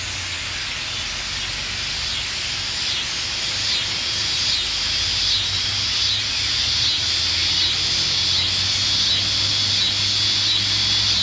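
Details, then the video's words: Cicada chorus with birdsong in an Athens, Ohio backyard hollow on August 27, 2013: a dense, high, hissing drone swelling and pulsing about three times a second, over a faint low hum and scattered bird notes. "Birdsong and Cicada Serenade"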